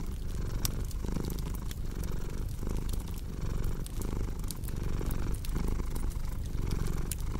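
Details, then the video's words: Cat purring loudly and evenly, its deep rumble pulsing about every 0.8 seconds, accompanied by light crackling from a fireplace in a soothing sleep ambience. "Purring Cat with Cozy Crackling Fireplace Sound"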